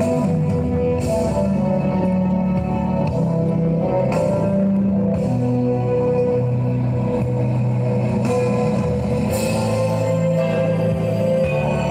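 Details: Loud rock music with drum kit and sustained guitar chords plays without pause, and no animal sound comes through.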